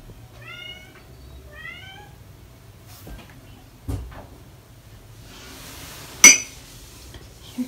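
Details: British Shorthair cat indoors, the father of four kittens almost five weeks old; two short, clear meows with rising-then-falling pitch open the clip, followed by soft thumps and a sharp click.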